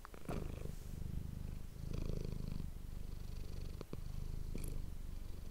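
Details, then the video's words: Manis the domestic cat purring near an ASMR microphone, a low rhythmic rumble with a brief swell of breath, punctuated by a few sharp clicks and taps. "cat purring ❤ Manis die aan het spinnen is"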